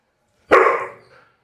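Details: A dog about to be bathed at home gives one sharp, loud bark that fades quickly, followed by a faint short tail of sound; otherwise quiet.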